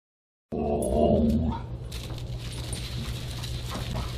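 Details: Siberian Husky at a dinner party on December 29, 2022, giving one low, drawn-out voiced sound lasting about a second, followed by quieter rustling over a steady low hum.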